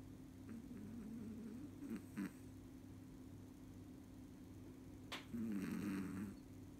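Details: A sleeping Chihuahua snores in a human-like way indoors: a low, rough, buzzy snore near two seconds, then a longer, louder raspy snore around five to six seconds, over a steady low hum and quiet background.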